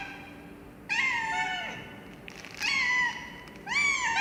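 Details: Loud cat meows, three drawn-out calls that dip and bend downward, bright and harmonic, separated by short pauses of about a second, with little else audible.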